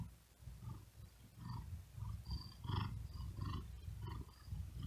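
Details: A resting domestic cat on a wooden desk, hot and breathing with great effort, produces a rumbling purr with uneven breathy surges at a quick rate of almost ninety a minute.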